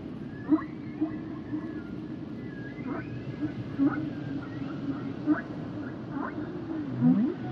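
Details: Humpback whale song underwater: a low steady hum with short upswept chirps and whoops scattered every second or so, ending in a louder rising moan; continuous ocean hiss beneath.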